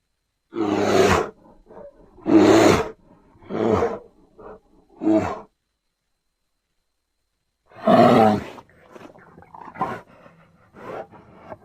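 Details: Grizzly bear giving a run of rough, growling roars, five close together in the first six seconds, then silence, then one more roar trailing into quieter, rasping grunts.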